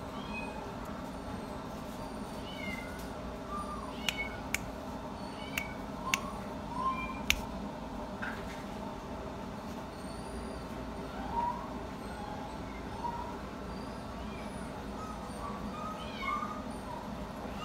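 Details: British Shorthair cat at a pet shop: thin, high, short mewing calls repeated every second or two over a steady hum of room noise, with a few sharp clicks and knocks.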